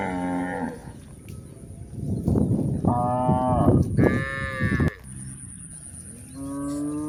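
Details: Cows on the move up a hill give repeated harmonic moos, one opening the clip, two louder overlapping calls in the middle, and another at the end, with a broad rumbling of footsteps and movement underneath.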